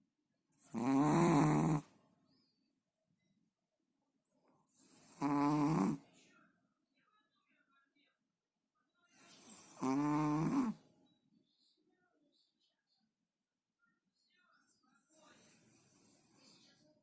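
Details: Chihuahua asleep and snoring: four drawn-out, rasping snores arrive about every four to five seconds, each roughly a second long, separated by near silence indoors.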